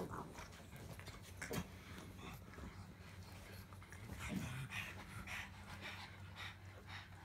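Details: Pug making a low continuous grumble, a steady throaty drone with occasional snorts and soft huffing breaths over it.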